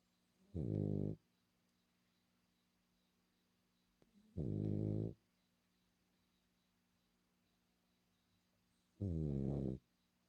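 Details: A sleeping female French Bulldog snoring indoors: three loud, rough, low snores, each about half a second long, spaced roughly four seconds apart, with a quiet room between them.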